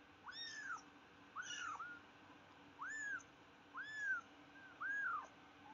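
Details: Tiny kitten repeating short, high, arched mews about once a second, five evenly spaced cries of similar pitch over a steady low background hum.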